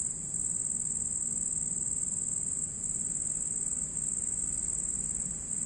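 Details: At night, a red cricket gives a steady, very high-pitched, shimmering trill that barely pauses.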